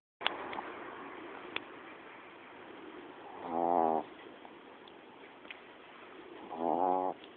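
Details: Female pet dog snoring while asleep: two droning, tonal snores with stacked harmonics, each about half a second long and about three seconds apart, in a quiet room with faint background hiss and a few soft clicks.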